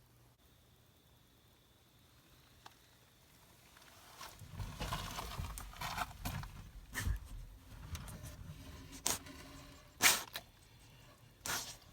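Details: Scraping, pattering and sharp knocking noises build up indoors after a quiet start, with no bark or other animal voice heard.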